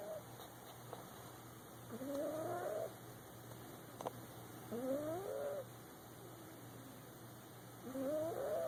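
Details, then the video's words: Boxer puppy asleep in a person's lap, snoring: squeaky, whistled nasal tones sweeping up and down with each breath, a snore roughly every three seconds, with a steady low hum in the background. "The cutest boxer puppy snoring."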